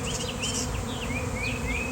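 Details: Bees swarming in the open on a fine day, many landing on the ground near a standing person: a continuous thick buzzing drone, with several quick upward-sweeping bird chirps and faint higher twitters above.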